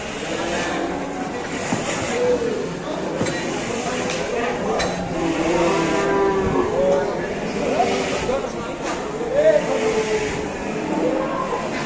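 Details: Rampaging cow, growing more furious as many villagers in Indonesia gather to watch, gives several bending, harmonic bellows across the scene; loud human chatter and a passing vehicle are heard.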